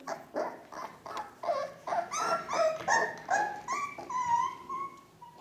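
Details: Four-week-old Ca de Bou puppies from the litter of Bea and Bubu, indoors: a run of high, harmonic whines and squeals, several sliding upward, repeated roughly every third of a second with overlapping voices.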